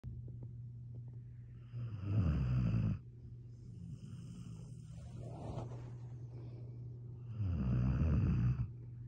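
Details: Redbone Coonhound. A Redbone Coonhound snores with low, rattling rumbles at roughly two-second and five-second marks, then again near the end. A steady low hum runs beneath the breaths throughout.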